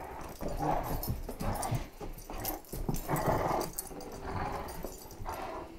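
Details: Several Great Danes tugging at a toy during a play session, a small Chihuahua nearby; continuous gravelly growling in short swelling surges about once a second, mixed with shuffling paws and knocks.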